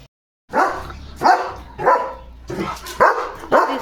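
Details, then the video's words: Pet German Shepherd barking in the evening at home; after a moment of silence, six loud, rough barks come at uneven intervals of about half a second, with a low background hum. "German Shepherd Barking"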